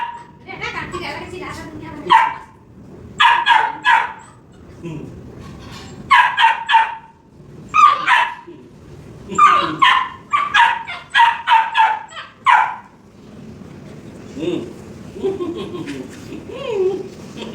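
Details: Labrador Retriever puppy playing with a hen, letting out clusters of quick, high-pitched barks separated by short pauses, tapering off into softer sounds and faint voices near the end.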